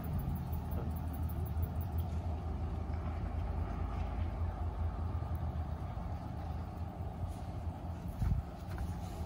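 Steady low engine rumble of a passing vehicle with faint voices, and no animal calls.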